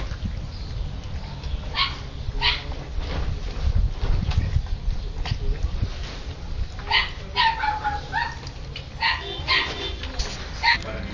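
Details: Siberian Husky puppies playing and eating: scattered clicks and rustles, then a cluster of sharp, high yelps and one drawn-out whine near the end, over low rumbling background noise.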